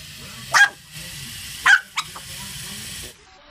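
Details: Chihuahuas barking in reaction to helicopters: three sharp, high barks, the first two spaced about a second apart and a quick third following, over a steady low background hum.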